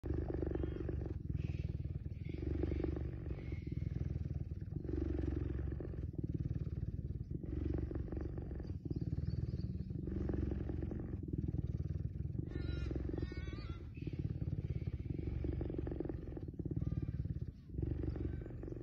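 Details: Cheetah purring while being petted: a steady low rumbling purr with rhythmic pulsing, broken by short pauses for breath every second or two. A brief higher scratchy noise comes in near the middle.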